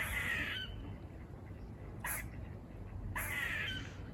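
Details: Buzzing bark of a squirrel filmed on a walk near a farm: two drawn-out harsh, noisy calls and a brief click-like burst between them, over constant low rumble.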